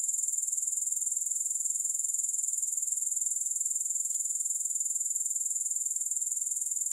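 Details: Grasshoppers in a long sleep and relaxation recording without music: a steady, very high-pitched shimmering buzz pulsing about four times a second, unbroken throughout, with no other sounds.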